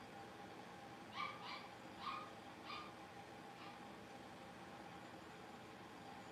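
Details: Playing Cavalier King Charles Spaniel puppies, blenheim-coloured littermates born at New Year, let out a quick cluster of four or five thin, high yaps within two seconds, then quiet, against a constant low electrical hum.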